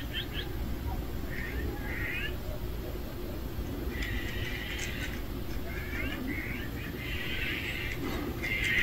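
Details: Cats of one family gathered at a meal give overlapping high meows, some brief and some drawn out for about a second, in clusters separated by quiet gaps, with a constant low hum beneath.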